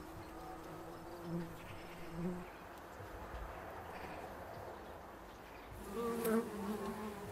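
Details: Bumble bees that have moved into a bee hotel meant to shelter them over winter, turning it into a hive; overlapping droning buzzes at several pitches, swelling and fading as individual bees pass close, with a louder pass near the end.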